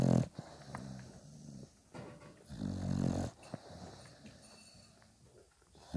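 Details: Dog puppies five days old with their mother Spikkels, who nurses them; two short, deep, tonal grunts about three seconds apart, separated by soft snuffling and breathing sounds in a small room.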